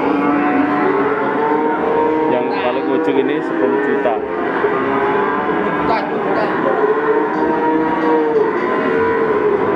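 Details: At Ambarawa's Pasar Pon livestock market in Central Java, young male PO cattle moo together. Long, bending calls overlap in a steady chorus, with a few sharp metallic clinks and market clamour behind.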